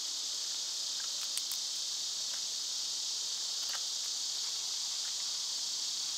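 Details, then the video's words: Cicadas in summer, loud this time of year, fill the air with a steady, dense, high hissing buzz that never pauses; a few short bird chirps break through faintly in the middle. "Cicada sounds"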